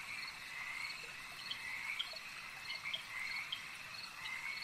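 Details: Frog chorus at a lake: an unbroken high trilling hum, with short rising chirps standing out every second or so and scattered soft clicks over a steady natural ambience.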